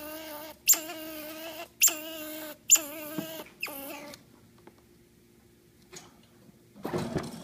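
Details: A squirrel described as grumpy gives four drawn-out, harmonic whining calls about a second apart. A quiet stretch follows, and the clip ends with a short burst of scuffling noise.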